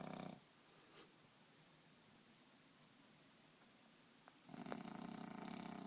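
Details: French bulldog asleep on a bed, sprawled in one position for most of an hour: a rattling snore fades out, a long near-silent pause with faint soft breath sounds follows, then another harsh, buzzing snore begins.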